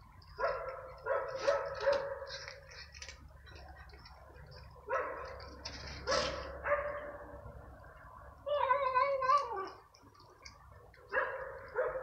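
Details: Hungry stray cats and kittens clash over food at night while being fed croquettes; repeated harsh, wavering yowls and growling cries rise and fall in bursts every few seconds.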